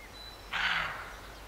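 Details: A roe deer barks once near Morpeth, Northumberland, August 2012: one loud, rough, broadband bark about half a second long, set against quiet countryside hiss with a thin bird note.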